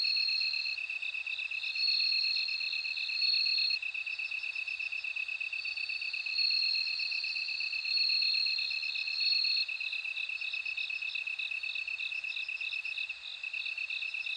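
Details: Bell cricket chorus: repeated high tinkling phrases swell and fade every few seconds above an unbroken, lower, evenly pulsed cricket buzz.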